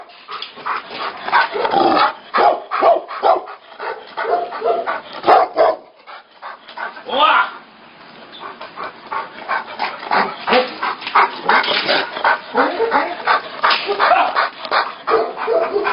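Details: Tibetan Mastiffs in a fight bark and snarl in fast, ragged volleys, with a short quieter gap and a drawn-out howling cry partway through, and people's voices mixed in.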